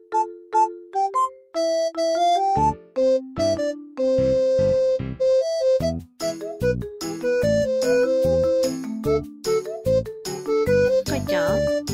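Bright, bouncy synthesizer music plays throughout, with no animal sound.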